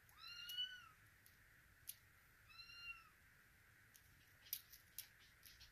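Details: A female Russian Blue kitten born 6 September 2023, in Vancouver, gives two high, thin meows that fall slightly, the second shorter, followed by soft scattered clicks and taps in a quiet room.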